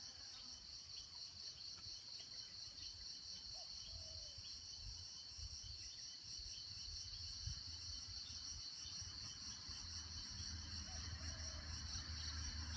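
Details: Crickets at Nam Nao, Phetchaboon, Thailand, recorded at 9:00 a.m. on a tropical morning; a dense, steady high-pitched chorus of trilling fills the background throughout, with a low rumble beneath and a few faint bird notes.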